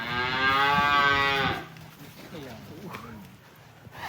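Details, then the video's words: Huge cattle happily leaving the pen in Indonesia, giving a strong, rich moo for about a second and a half, followed by quieter chatter, shuffling and faint voices in the background. "SAPI RAKSASA GIRANG KELUAR KANDANG"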